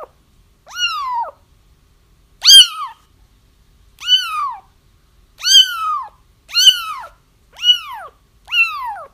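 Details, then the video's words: Kittens crying for trapping a feral mother whose litter was found: seven insistent, high mews, each swooping up then down, repeated about once a second, one louder and harsher than the rest, background otherwise silent. "30 minutes of Kittens Crying"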